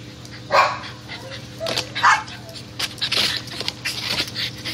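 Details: Dogs out squirrel hunting give a few scattered, harsh barks spread over several seconds, mixed with rustling and other short noises in the background.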